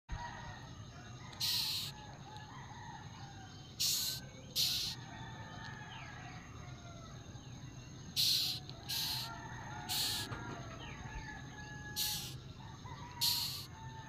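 Half-second raspy buzzes from a June beetle come in uneven bursts, some in quick pairs. A steady high whine runs underneath, with faint birdsong in the background.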